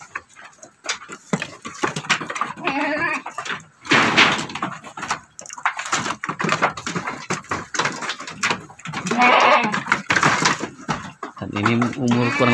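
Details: About three months old, a male doroan goat kid raised on a farm as a candidate breeding buck gives a few harmonic bleats. Near-constant human speech and handling noises are heard throughout.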